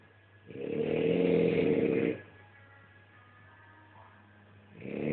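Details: French Bulldog snoring, one long rumbling, buzzy breath lasting over a second, then a quiet pause before the next snore starts, with a low steady hum underneath.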